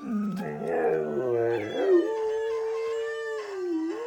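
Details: Pet dog howling along while watching a recording of other dogs howling; low wavering notes rise into a long steady howl held about two seconds, with overlapping voices from the played recording.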